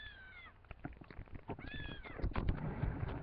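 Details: A house cat searching for her kittens calls twice, each meow a clear falling harmonic cry, the second followed by louder rustling and thumps.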